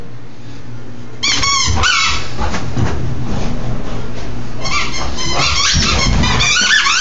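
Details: Angry bulldog barking and growling indoors in a small room, harsh repeated barks in bursts with rough low growls between them, recorded on an Android phone.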